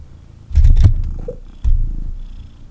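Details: Kitten snuggling in its owner's arms indoors: two short bursts of loud low rumbling purr, with rustling and a brief clatter of handling noise over the first burst.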